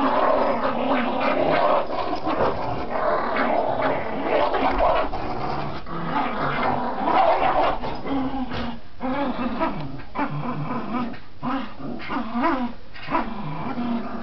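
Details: Border Terrier in tug play, growling steadily with rough low rumbles broken by brief gaps and short higher yelping whines toward the end, plus scuffling and tugging noises.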